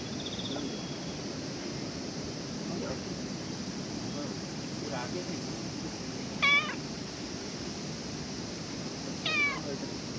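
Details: Stray cat approaching people for petting at a ferry terminal during cancelled sailings; two short bright meows spaced about three seconds apart late in the recording, over constant outdoor background noise.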